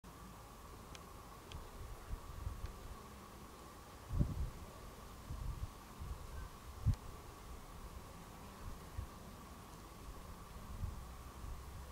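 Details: Fallow deer bucks grazing among high grass; no calls, only a steady faint hum, soft rustling and a few low thumps.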